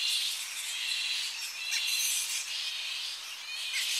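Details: Tonga flying fox colony on the coast in early morning as bats return to roosting trees; dense overlapping shrill, high-pitched chatter and squeals, close up, forming a continuous wash of sound with slight swells.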